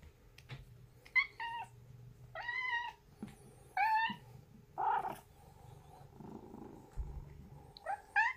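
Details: Pet cats indoors at home in early autumn, September 2021: a run of six or seven short, wavering meows, some rising then falling, spaced irregularly over eight seconds, with a faint low hum underneath.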